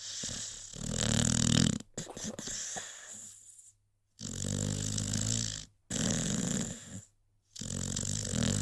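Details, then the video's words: Rocky, a sleeping American Pit Bull Terrier, snores in rough, breathy bursts, each lasting one to two seconds and broken by abrupt silent cuts between passages. "CUTE AMERICAN PITBULL Sleeping‼️ Rocky snoring"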